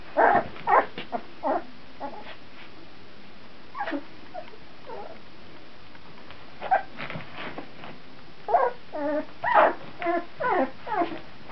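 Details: Puppies 14 days old, recorded in 2009, making high squeaky whimpers and yips in clusters, a few at the start, then a denser flurry of wavering cries near the end, with quiet gaps between.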